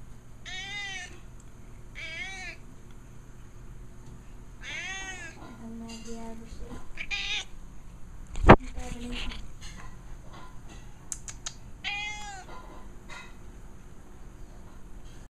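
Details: A 14-year-old pet cat named Casey begs for food or attention; four rising-and-falling meows come about every two seconds, then a woman's voice, a sharp knock and further meowing mixed with speech.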